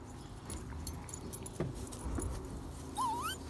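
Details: Irish Setter puppies, 40 days old, from the litter of sire Bacon and dam Penny: one short rising whine, thin and wavering, near the end, over low handling thumps and background rumble.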